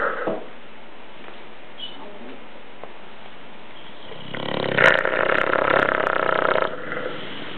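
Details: Dogue de Bordeaux mother and pup asleep, one breath ending in a loud, rattling, buzzy snore lasting over two seconds, with small clicks and quieter breathing before it.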